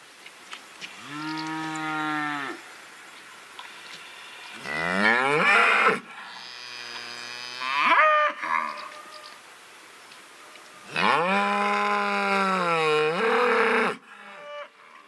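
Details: Cows give long, loud, drawn-out moos, each a deep, full-throated bellow lasting a second or more; cows use distinct calls to their calves depending on whether they are nearby or separated.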